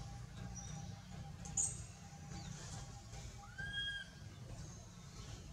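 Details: Baby monkey Anissa, held and not released by the monkey Aron, gives a scared call to its mother: a few thin, arched whistled cries over a steady low rumble of background noise.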